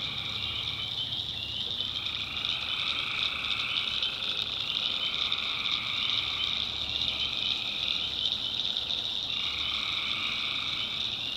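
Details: Tree frogs at night in the backwoods of North Carolina, a swamp chorus of countless overlapping shrill calls. A second, lower layer of calling repeatedly breaks off and resumes, over a quiet low rumble.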